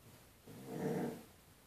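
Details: A Basset Hound barking at his own reflection in a window gives a single deep, drawn-out woof, low and throaty with a rough edge.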